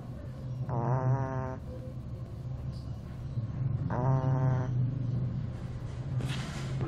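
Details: Two-month-old Shih Tzu puppy asleep and snoring: two wheezy, harmonic nasal snores, each under a second long, roughly three seconds apart, over a steady low hum with a soft rustle at the end.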